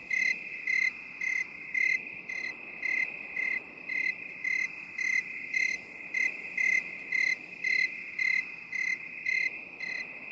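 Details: High-pitched cricket chirping, presented binaurally in 8D for relaxation. Clear, evenly spaced chirp bursts, nearly twenty in ten seconds, ride over a steady shrill insect background.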